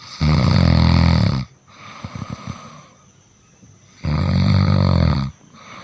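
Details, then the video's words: Sleeping cat snoring loudly, with two long, harsh, low rumbling inhalations more than a second each, roughly three seconds apart, and quiet wheezy breathing between them in a small indoor room. "The cat sleeps and snores"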